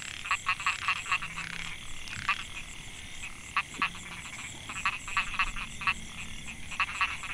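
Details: Male narrow-mouthed frogs (Microhyla pulchra) calling to females in a Mae Hia rice field, Chiang Mai, Thailand, 2014. Clusters of short buzzy pulsed notes come in quick irregular runs over a continuous high insect drone.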